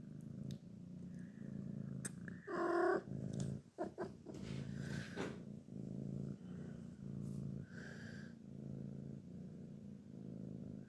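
A Sphynx cat gives a low, steady rumbling purr broken by a sharp, rising, grumpy meow.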